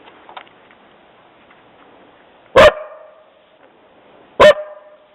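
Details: Dog barking after hearing someone walking on the trail: two sharp, loud single barks about two seconds apart, with near silence before and between them.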